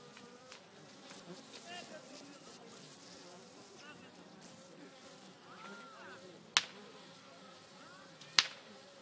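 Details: Honey bees at a natural hive in an old oak tree on a farm, dancing to show others where to go; a dense, shifting hum of many wings fills the clip, broken by two sharp clicks near the end.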